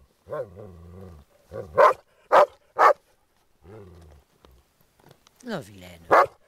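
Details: During play over a ball, Groenendael dogs guard their resource with three loud barks. Low droning tones and a French-speaking voice scolding and coaxing the dog are also heard.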